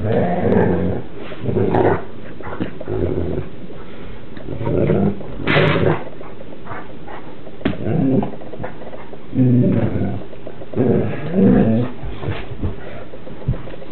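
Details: Two Newfoundland siblings wrestling in play indoors, an older German Shepherd nearby; low rumbling growls and grumbling vocal bursts come in repeated bouts every second or two, some rising into higher moaning whines, over steady background hiss.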